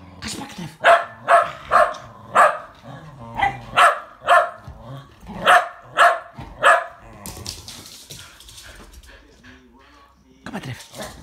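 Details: Two Shetland Sheepdogs, tricolor and blue merle, racing on 22 February 2017, give a run of about ten sharp barks roughly two per second, then pause while a man calls encouragement, before barking resumes briefly.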